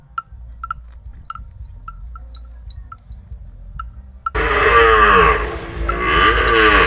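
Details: Very cute, tame calf unafraid of people gives a loud drawn-out moo that begins abruptly after four seconds of soft repeated ticking clicks and low rumble.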